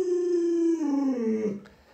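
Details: Pet Alaskan Malamute Luoluo reacting to an owner sick in bed with a single drawn-out howl, level at first and then gliding down in pitch, harmonics strong, fading out after a second and a half in a quiet room.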